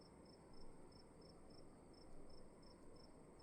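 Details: A cricket in a dark room at night gives short, high, evenly spaced chirps, about three per second. A steady low rumble and soft swells of room noise sit beneath.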